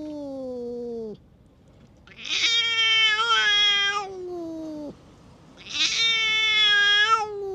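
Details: Stray cat acting as a tough bully, lashing out at other cats: long drawn-out yowls, one low falling wail then two loud harsh rising howls with rich harmonics, each lasting over a second, separated by short quiet gaps.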